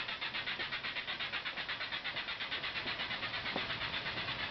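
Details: Cicada chorus in a mangrove tunnel at Ulumay Wildlife Sanctuary on Merritt Island, July 17, 2011, recorded while kayaking. A roaring, hissing wall of buzzing pulses evenly, almost three beats a second, loud enough to overload the camera microphone.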